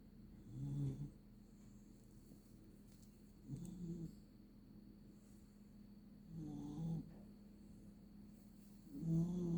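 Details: Puppy snoring while sleeping comfortably under a blanket: low, rasping snores, each about half a second long, coming roughly every three seconds, with a steady faint hum between them.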